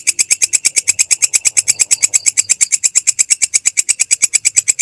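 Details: Continuous rhythmic chirring of a belalang kecek grasshopper, used as masteran for tutoring songbirds: crisp, shrill ticking pulses repeated very regularly, some eight to nine per second, in a clean, quiet recording.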